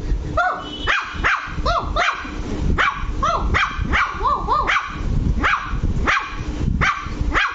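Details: Luci, a Lhasa Apso puppy, barking angrily: sharp, high-pitched yaps repeat unevenly, about eighty a minute, some doubled into quick pairs, over a low background rumble.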